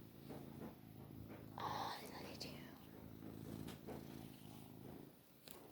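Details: Isaac, a long-haired male Maine Coon cat (Felis catus) and a very loud purrer, lying lazily and purring in a low, steady rumble beneath a person's soft voice.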